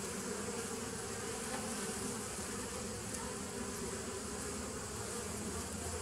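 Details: Steady massed buzzing of honey bees on 27 September 2018, an unbroken low drone under a broad hissing layer, constant in loudness from start to end.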